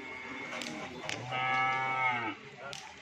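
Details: Cattle at a gathering with many cows in Pamekasan, one long, low, steady moo lasting about a second, with bright harmonics over background music and clatter.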